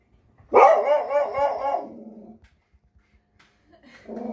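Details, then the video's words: A frightened dog lets out one drawn-out, wavering yelp that quavers up and down for over a second and then fades, followed by quiet and a short low noise. "FUNNY Dogs Scared"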